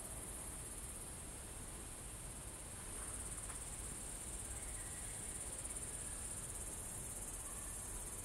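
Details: Chirping crickets recorded at Kolga, Estonia, on the evening of 6 September 2018 at 20:26: an unbroken, thin high trill, growing slightly louder after three seconds, with faint scattered lower sounds in the background.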